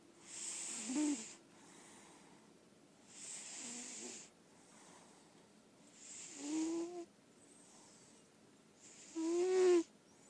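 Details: Female lilac point Siamese indoor cat snoring in her sleep: a steady cycle of airy rasping breaths about every three seconds, several ending in a short buzzy voiced snore that grows louder toward the end.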